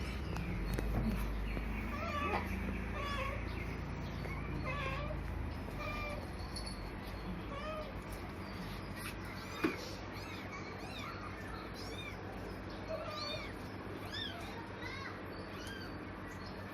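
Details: Four newborn kittens, eyes still closed, left on a cloth in a cemetery near dusk; thin, high, arching meows repeat rapidly and faintly over steady low background rumble and noise, with a brief engine drone at the start.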